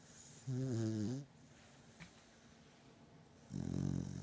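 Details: Batman, a pet beagle in deep sleep, snores loudly indoors: two long, deep, rumbling breaths with a buzzy, harmonic texture, separated by a quiet pause of about two seconds.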